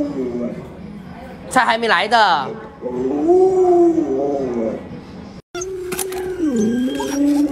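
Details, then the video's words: Alaskan Malamute Luoluo, at home waking a late-sleeping owner, utters smooth drawn-out moaning howls that swell and dip, broken by a brief human voice and a short silence. "太過分了！ 太陽曬屁股主人還不起床，狗都看不下去，看來得幫他"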